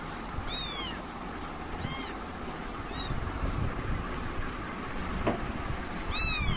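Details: High-pitched British kitten meows: a clear arched mew near the start, two faint shorter ones in the middle, and a loud drawn-out meow at the end, with constant low background noise.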